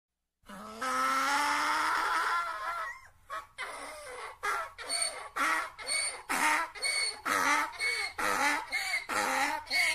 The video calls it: donkey, ane sound effect